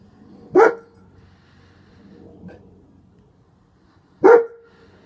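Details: Male German Shepherd with a bandaged back leg barking to protect: two sharp, loud barks about three and a half seconds apart, with quiet background noise between them.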